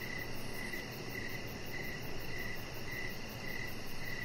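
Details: Crickets outdoors in the evening by a deck with a chihuahua puppy: a steady series of short, high, evenly spaced chirps, about two per second or slightly less, over a low continuous rumble.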